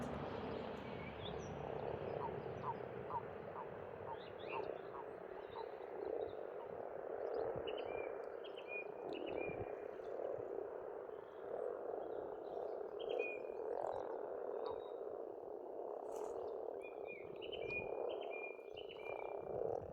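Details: Massed frogs croak continuously by an Estonian pond in spring, a thick pulsing drone. A bird sings a short run of repeated notes early on, and more birds add clipped whistled phrases later.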